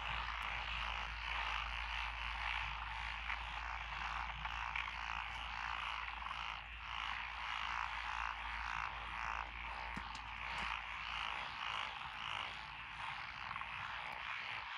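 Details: Frogs call together in lotus rice paddies beside a rural road in Echizen, Fukui, Japan, on June 12, 2021. A thick, unbroken mass of rapid, rattling croaks, with occasional faint clicks and a constant low rumble underneath.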